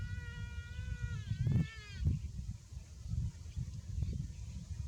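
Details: Buffalo calf, said to be too hot, gives a drawn-out, wavering bleat-like call rich in harmonics for about two seconds, followed by short low thumps over a steady low rumble of wind or handling noise.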